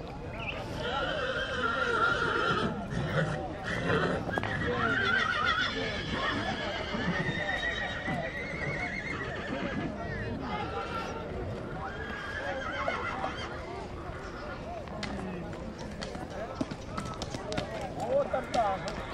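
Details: Horse in Țibeni, Suceava, giving drawn-out whinnies with a wavering tone, mixed with people talking nearby and a few hoof clops throughout.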